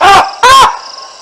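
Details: Two sharp baboon barks, each about a fifth of a second, rising then falling in pitch, given at the Olifants River on 9 December 2022 while two lionesses walk beneath the troop's trees; faint high insect hiss between them.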